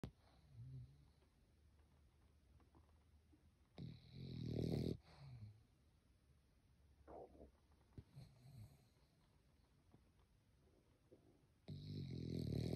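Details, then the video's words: Sleeping French Bulldog snoring: soft, broadband snorts at irregular intervals, with louder rasping breaths around four, seven to eight, and twelve seconds over a quiet indoor background. "French Bulldog is Snoring"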